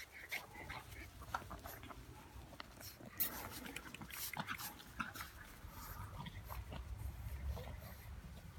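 A French Bulldog puppy snorts and grunts in short, snuffling bursts over a low rumble.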